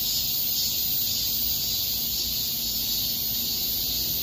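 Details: Cicadas in a small park in August 2021 fill the air with a dense, steady, high-pitched buzzing drone.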